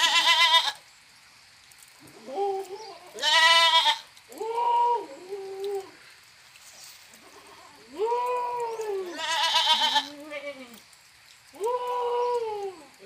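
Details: Goat bleating over and over, about six drawn-out nasal cries, some harsh and strained, others softer and wavering, separated by short quiet gaps.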